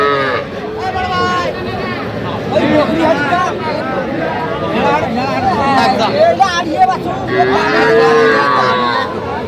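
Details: Young cattle, small bulls and heifer calves including Sahiwal bull calves, at a Kushtia, Bangladesh livestock market; a short lowing call early and a longer sustained moo near the end, amid dense bargaining voices and market bustle.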